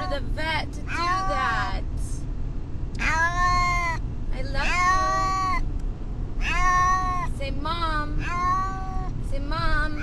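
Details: Brutus the Beefcake, a pet cat agitated on the way to the vet, lets out long, wailing meows broken by shorter chirpy ones, a talking-like cadence, over the steady low hum of a moving car.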